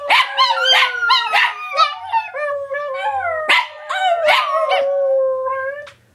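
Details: Three pet Chihuahuas howl together in overlapping high, wavering tones broken by sharp yips.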